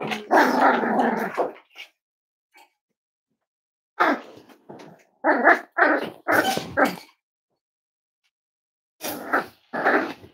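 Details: Five-week-old Cavalier King Charles Spaniel puppies from Myra and Remy's litter, indoors on a chilly Thursday morning: bursts of rough, high puppy barks and growls in short clusters, separated by silent gaps.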